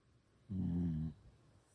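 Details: Sleeping Shiba Inu dog giving a single low, rumbling snore of about half a second, droning and harmonic, with quiet breathing before and after.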